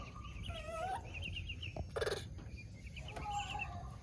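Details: A baby monkey whistling to call its mother: thin, wavering, tonal whistles, some sliding upward, alternating with quick fluttering higher notes, and a short sharp rustling burst midway.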